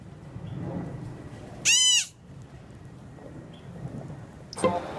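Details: Young two-toed sloth calling for its mother: one loud, arched, harmonic bleat, rising then falling, lasting under half a second. A second brief burst of sound comes near the end, over a low background rumble.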